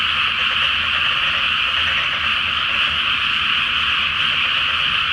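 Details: Massed frogs croaking at night in a flooded rice field ahead of planting, under a full moon in Japan; an unbroken, uniform chorus of overlapping croaks.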